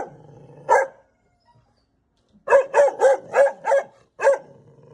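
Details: Angry mother dog barking at a stranger arriving at the house, indoors with echo: one bark, a pause, then a fast run of five sharp barks about every third of a second and a final bark, with low growling between.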